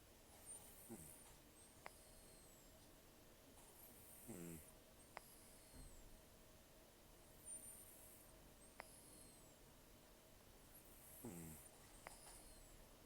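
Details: Taro, a rescued cat taken in October 2024, aged about 10 to 14 and nearly toothless after gum disease and long outdoor life, snores heavily in his sleep: rough, low buzzy snores recurring every few seconds, with faint clicks between them.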